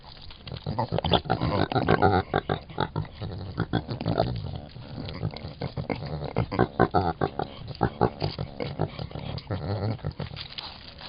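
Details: Javelina angered while protecting their young, giving repeated harsh grunting and huffing bursts in rapid irregular series, with some speech-like voices in the background.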